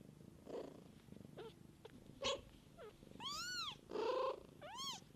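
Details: Mother cat tending her kittens, a low rhythmic purr running throughout, broken by soft short squeaks, then a cluster of loud, clear, arching kitten mews near the end.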